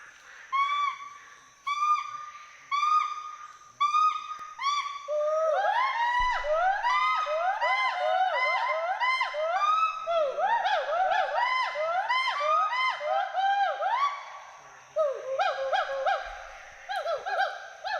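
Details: Two Western hoolock gibbons playing, climbing and swinging through trees at Hollongapar Gibbon Sanctuary, Assam. Level, ringing hoots come about once a second, then build into a dense run of rapid rising-and-falling whoops that overlap. After a short pause the whooping resumes.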